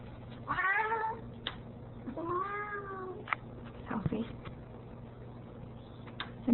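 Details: A Ragdoll cat, a female who argues when her owner leaves, guards the door indoors with two clear, wavering meows, the second longer and arching, followed by soft rustling and quiet room sounds.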